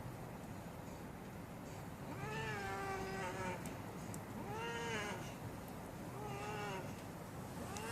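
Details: Fighting domestic cats: three drawn-out harmonic yowls, roughly every two seconds, each wavering then sliding down, over a steady background hiss.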